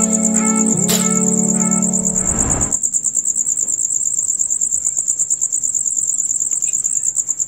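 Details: Loud, rapid chirping of male crickets, a night chorus from dusk until dawn. A high pulsed trill runs throughout, while a loud harmonic musical sound with a sliding tone covers the first three seconds.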